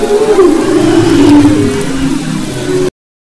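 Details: Humpback whale song from west Maui waters in February 2011: a sustained wavering moan that drops slightly in pitch, with faint higher tones above, ending abruptly in silence.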